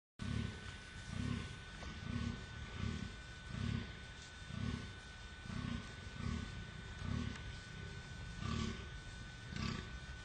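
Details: An adult male wild boar (Sus scrofa) gives deep, rhythmic grunts, roughly one every second, over a faint steady hum.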